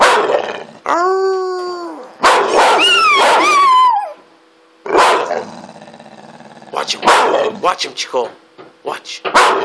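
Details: Loud drawn-out howling from Chico, a pet dog: a steady held note, then a rising, wavering wail that bends down at the end, followed by quieter yips and a person's voice.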